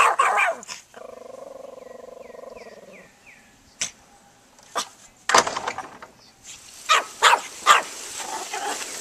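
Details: Banjo, a pet dog, barks at the lawnmower: a few sharp barks at first, a steady mechanical drone, then scattered loud barks closing in a rapid irregular run.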